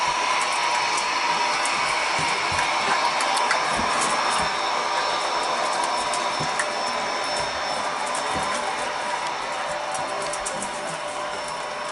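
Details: A loud, steady whirring like an appliance fills the room, with rapid regular ticking and occasional soft thumps, and no animal sounds.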